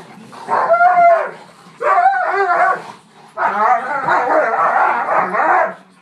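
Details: Two Dobermans squabbling over a couch, one refusing to give it up: three bursts of grumbling, whiny growls with squealing overtones, the last longest and most sustained.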